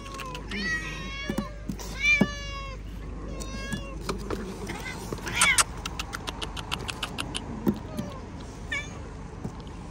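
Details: Pet cat meowing: several drawn-out harmonic meows rising and falling in pitch early on, followed by scattered sharp clicks and taps, with a woman's voice nearby.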